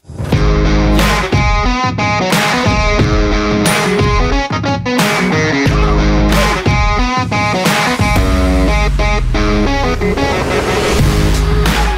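Distorted electric guitar music with steady drums plays throughout, with no animal sound.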